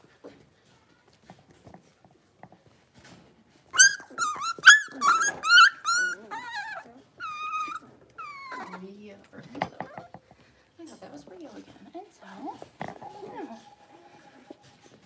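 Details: Blenheim Cavalier King Charles Spaniel puppies aged six weeks, five littermates in an indoor pen, break into a rapid run of high, sharp yelps, then drawn-out falling whines; a person speaks between the calls in a small room.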